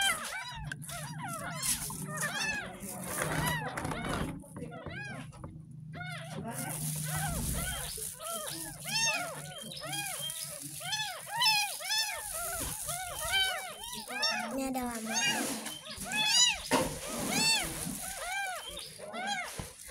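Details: Kitten, ten days old and rescued from a drain in front of a house, being bathed for the first time and mewing almost nonstop: dense runs of short arched cries over a woman's soft talking, background music and water sounds.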